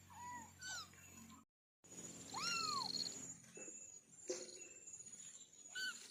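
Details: A kitten from a litter of four lets out one loud, arching mew after a short gap, with softer, shorter mews before and after it. Faint clicks, a steady background hiss and a high constant tone are also heard.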